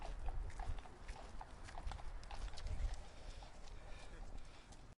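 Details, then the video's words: Central Park horse, evenly spaced clip-clop hoof strikes, a little softer, against a heavy low city hum. "Horse Central Park Sound Effect"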